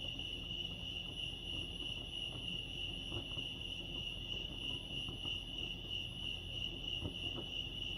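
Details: Lake Arrowhead crickets in California: one constant high, ringing chirp chorus, steady in pitch and loudness, with soft low rumbling and occasional faint clicks beneath.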